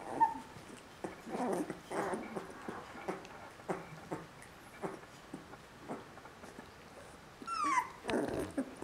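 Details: Whines from Border Collie puppies aged three weeks: a high squeal at the start, then soft, scattered whimpers and snuffles, and a rising, wavering squeal shortly before the close.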